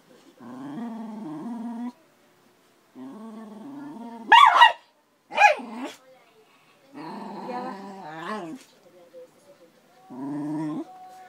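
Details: Dory, a 13-year-old Schnauzer, angry with Cora, a five-month-old Akita–Labrador puppy. Four spells of low, drawn-out harmonic growling, broken midway by two sharp, loud yelp-like bursts, then a short higher whine.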